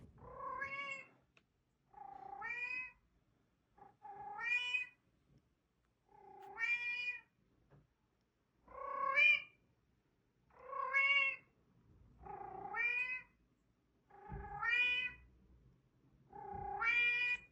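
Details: Domestic cat meowing steadily: nine clear, drawn-out meows that bend up then down, repeated about every two seconds in a quiet setting.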